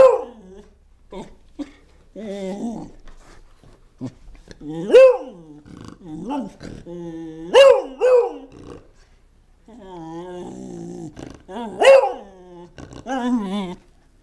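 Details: Pet Beagle barking and snorting at its owner indoors, a series of wavering, whiny yowls and grumbling barks, some rising then falling in pitch, broken by short snorts and quiet pauses.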